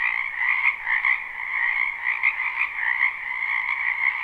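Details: Frog chorus from a wetland behind a home in spring, recorded live without looping: steady massed croaking, rapid pulsed trills swelling slightly every half second or so, in a constant mid-to-high band.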